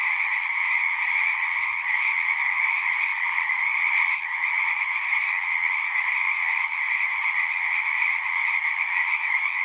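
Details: Singing frogs fill the air with a thick, continuous trilled chorus, overlapping voices at a steady high pitch with small swells in intensity and faint low background rumble.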